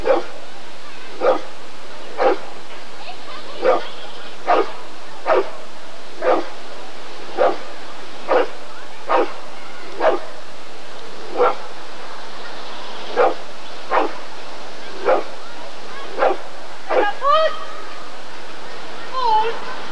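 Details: Steady run of single barks from a Rottweiler at the ADRK breed survey in 1994, about one per second, ending in a few higher, wavering whines that rise and fall.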